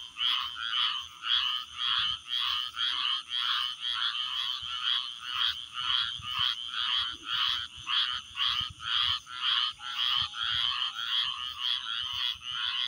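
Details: Chirping frogs call loudly in regular bursts, roughly two chirps each second, each a bright buzzy high pulse, repeated steadily against a thin constant high whine.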